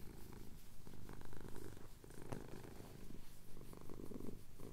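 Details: Male domestic cat purring as his chin is scratched, recorded on a Tascam DR-07X at sunrise over the Cotswold hills; a low, steady rumbling throb with soft, uneven pulses and faint rustles.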